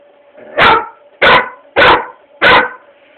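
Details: Labrador Retriever barking at a foot massager indoors, recorded on a cellphone: four loud, sharp barks at a steady pace, one about every 0.6 seconds, over a faint steady hum.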